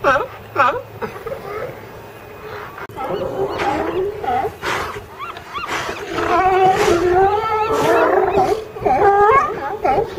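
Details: A pile of California sea lions making a dense chorus of barks, bellows and drawn-out wavering groans that overlap into a continuous din, with a few clear short barks at the start.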